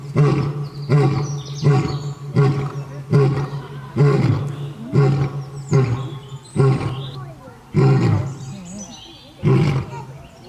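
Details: Lion roar sequence of about ten deep, forceful grunting pulses repeated roughly every second, each starting loud and fading quickly, steady and low throughout.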